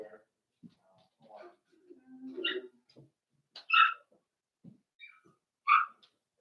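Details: Four-week-old Cavalier King Charles Spaniel puppies from Daisy's litter in an indoor pen, giving short high whimpers and yelps at irregular intervals, mixed with low murmuring human speech in a small room.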